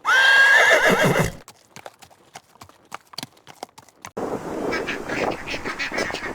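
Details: Horse giving a shrill, high whinny that opens the recording and wavers briefly, then sharp hoof clip-clops, then a rougher, noisier stretch of sound to the end.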